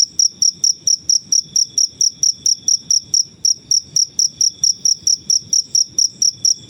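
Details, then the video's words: Wild cricket noises kept for teaching caged songbirds: rapid, evenly spaced high-pitched chirps, roughly thirty in under seven seconds, each short and ringing, over a faint low background hum. "Suara jangkrik alam/Cricket Noises"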